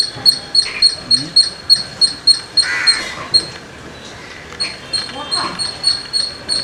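A squirrel gives sharp, high chirps in a quick steady series, about three or four a second.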